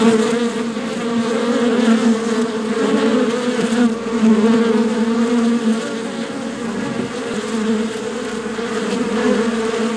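Honey bees hum in a dense, steady drone, many wingbeats blending into one low buzz.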